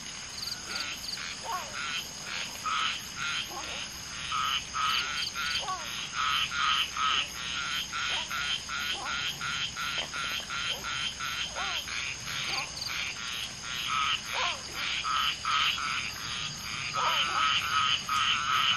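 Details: During spawning of common tree frogs, with one female laying eggs and two males fertilizing, many frogs call: a long run of rattling pulsed croaks, roughly two to three per second, interrupted by scattered curving chirps over a continuous high hiss.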